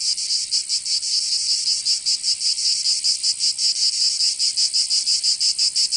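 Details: Cicadas of Provence, southern France, in summer: a shrill continuous buzz broken into rapid, somewhat irregular pulses, loud and close, with no other animals or noise.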